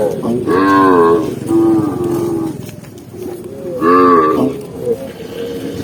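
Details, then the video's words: Herd of tame cows moving together on a forest trail; two strong rich moos with a softer low call between, droning background lowing throughout. "cow sound cow Moo"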